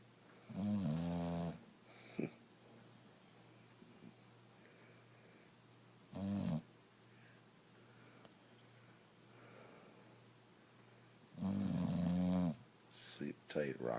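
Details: Rocco, a brindle Boxer, sleeping and snoring away: three separate deep, rumbling snores spread out with long quiet pauses between, plus a few brief clicks and rustles near the end.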